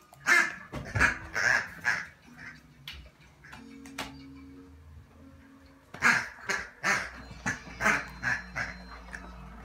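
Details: Podenco Ibicenco in a pig attack gives bursts of sharp, harsh barks in quick succession, a pause with low humming tones, then another volley of rapid barks.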